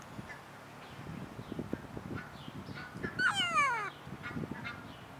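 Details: A baby ring-tailed lemur of undetermined sex, born March 14 and now riding on its mother's back, gives a single high, harmonic call that slides sharply downward.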